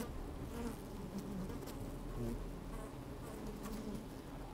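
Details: Honey bees moving about an opened hive in sunshine with some wind, microphone placed within: rumbling low drone, short buzzing notes rising above it, scattered crisp taps and rustles throughout.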